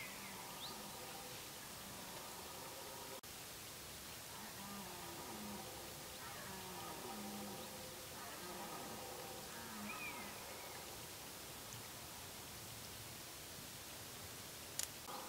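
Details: Red deer during the rut, with activity at its peak: long, drawn-out harmonic roars from more than one animal overlap over about ten seconds, heard at a distance. There is a steady hiss of background noise, a sharp click and a brief high chirp.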